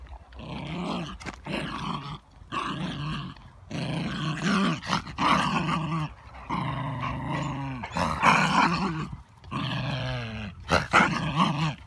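A small Basenji-Chihuahua mix dog growls in rough, rising and falling bursts while guarding a stick.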